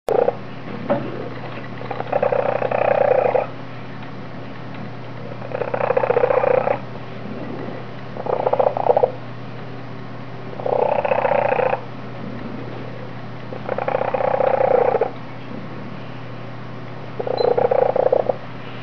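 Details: Foster kitten purring loudly: rough, rumbling bursts about a second long, returning roughly every three seconds, with a constant low hum between them.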